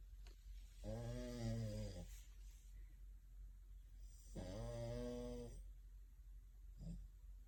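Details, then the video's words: Sleeping French Bulldog, dreaming with eyes fluttering, curled up with a second French Bulldog indoors. Two long, throaty, buzzing snores about a second each, spaced three and a half seconds apart, then a brief snort. "French Bulldogs - Snoring"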